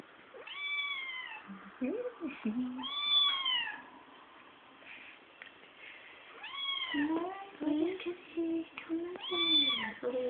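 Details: Two young Bengal kittens, kept indoors as pets, give four arching, harmonic meows, each about a second long and rising then falling in pitch. People talk softly between the calls.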